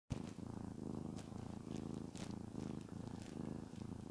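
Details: Domestic cat named Shamotra purring while being petted, which she loves; steady low rumbling purr in pulsed cycles roughly every half second, with soft rustling of hand strokes on fur above.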